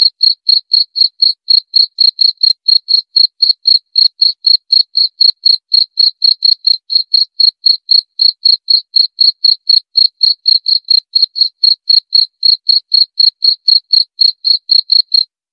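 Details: Cricket chirping steadily: short, shrill, high-pitched pulses repeated about four times per second in an even rhythm throughout, with a fainter very high overtone and a silent, clean background.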